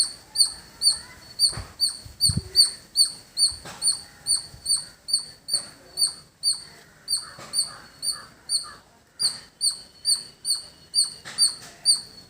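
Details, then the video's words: Squirrel in a village setting producing a long run of shrill repeated chirps, even and rhythmic at about two per second, with occasional low thumps and faint background noise underneath. "Beautiful Squirrel Making Sound"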